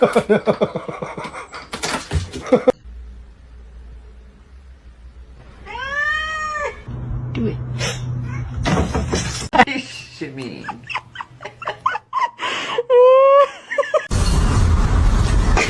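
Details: Domestic cat meowing indoors: a clear rising-then-falling meow near the middle, a shorter, higher meow later, amid human talk, laughter-like sounds, thumps and bursts of rough broadband noise.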